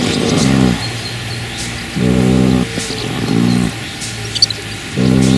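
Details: A 3-month-old draft colt, out of a Dutch Draft mare by a Shire sire, snores in deep, rattling breaths that return roughly every one and a half seconds.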